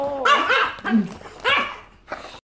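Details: An English Bulldog gives harsh, wavering grumbles and short barks that bend up and down in pitch while having its nails clipped indoors; English Bulldog.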